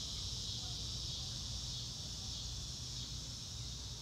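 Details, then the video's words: Dense, unbroken high trilling of crickets in open countryside on a clear day, an even shimmering wall of rapid chirps with no pauses, over a soft low background rumble. "Relaxing Clouds in a Blue sky and Nature Sounds - Real Time - No Music - Meditation - Crickets"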